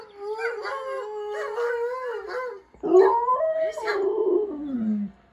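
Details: Siberian Husky kept as a pet howling along to talking dogs on a screen: a steady mid-pitched howl, then a louder rising note that slides down into a falling, fading wail.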